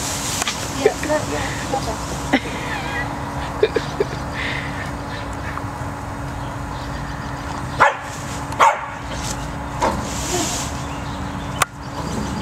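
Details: Max, a pet cocker spaniel afraid of going into a tunnel that holds his treats, gives a few sharp, short barks spaced apart late in the recording, over people talking and a steady low background hum.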